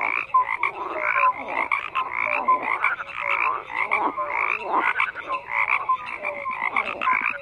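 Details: Many frogs calling at once, a busy mix of raspy pulsed croaks and short tonal chirps recurring several times a second, loud and unbroken.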